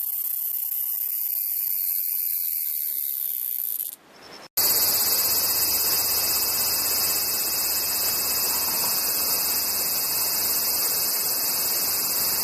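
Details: Cicada sounds in a set of types: a thin steady high whine, a short break, then a dense unbroken shrill buzz over low hum.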